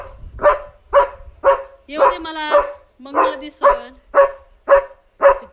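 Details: German Shepherd dog at home at night, barking to signal another dog outside: loud sharp barks repeated about twice a second in a steady series, with a woman's voice talking briefly in between.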